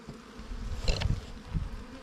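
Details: Wild bees buzzing at a nest during a honey hunt for wild, ground-dwelling and cavity-nesting bees: a low, steady droning hum, with sharp knocks and clicks near the one-second mark and again shortly after one and a half seconds.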